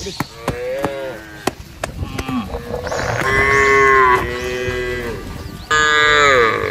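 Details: Tame village cattle, kept for fattening and let loose on a wide grass pasture, herded as a group: several deep, drawn-out moos rising and falling, the loudest two near the end, over soft background music and faint clicks.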